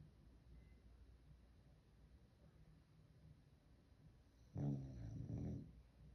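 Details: A sleeping dog named Louie lets out a single low, rattling snore of about a second after several seconds of quiet breathing.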